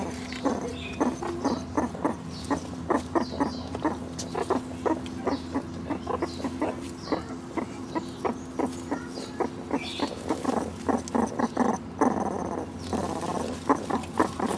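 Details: Three young meerkats, Caruso, Snoutie and Sayuri, just one year old, foraging for bugs, beetles and hidden mealworms in an overgrown zoo enclosure; short clucking, harmonic pulses repeat rapidly and steadily throughout, several per second, with occasional higher squeaks.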